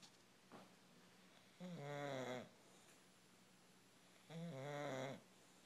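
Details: English bulldog snoring indoors: two loud, rasping, harmonic snore bursts about a second long each, separated by quiet breathing, with a faint short breath sound early on.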